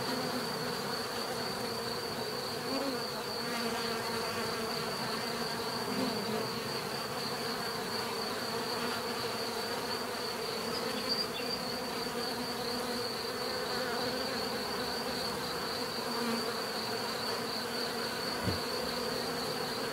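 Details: Natural buzzing of many bees: continuous humming drone with stacked tones, occasional louder passes of single insects and a faint high steady whine above.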